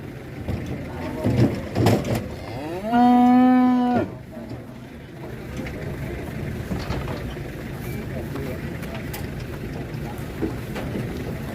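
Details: A Qurban bull or cow, among cattle arriving off a truck with some raging, lets out a loud, steady moo lasting about a second. Murmuring people, vehicle rumble and thuds continue before and after.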